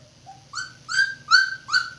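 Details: Two-week-old red Standard Poodle puppies from a litter of four, three males and one female, born April 10, 2018, eyes just opening; four short high squeaks that bend upward, each louder than the one before, over a low hum.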